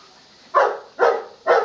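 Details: A dog named Leo barking while playing fetch with a ball indoors: three sharp, loud barks spaced roughly half a second apart, each a short harsh burst with energy centred in the midrange.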